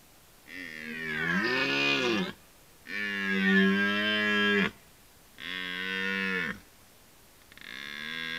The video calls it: Obserwator 47: Rykowisko / Deer rut